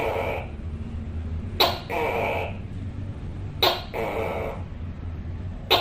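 A tokay gecko gives loud, hoarse two-part 'to-kay' calls, repeated about every two seconds.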